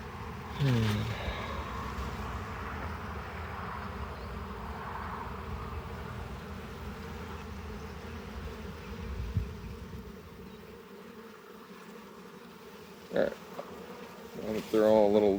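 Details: Honey bees droning at a hive during harvest as a beekeeper works stuck frames loose; the low hum runs throughout, broken by scraping, knocks and squeaky tool sounds near the start and end.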